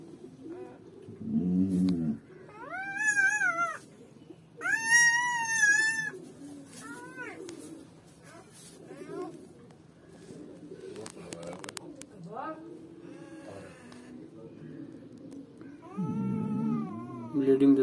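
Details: Newborn German Shepherd puppies just after birth: high, arched whines and squeals with clear rising-then-falling tones, a cluster of cries in the first half and another near the end, with low muffled shuffling sounds between.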